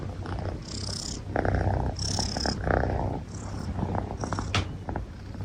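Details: Purring from Ten, a pet long-haired Munchkin tomcat almost a year old, in a steady low rumble. Soft wheezy breaths rise and fall over it, with short sniffs or hisses between them.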